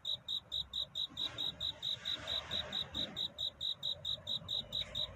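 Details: A cricket's night-time love song before dawn, sharp high chirps pulsing evenly, roughly two or three per second, clear above a soft low hum.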